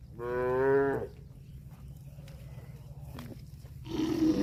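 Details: Cow giving a single loud moo lasting under a second, harmonic and slightly wavering, then quiet with low background rumble and a short noisy burst at the end.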